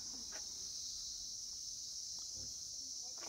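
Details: A steady, high, shimmering cricket trill fills a roadside pine forest in Neora Valley near Lava, Kalimpong, West Bengal, India, without pause, with faint voices underneath.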